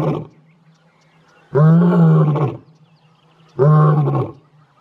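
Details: Morning roaring from a wild male lion near Leeupan, Kruger National Park, one of three males seen: the tail of one call, then two deep, resonant roars, each under a second long, with a quiet gap between them.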